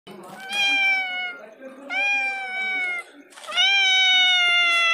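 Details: A cat meowing very loudly; three long, clear, slightly falling meows, each over a second, following one another closely with little pause.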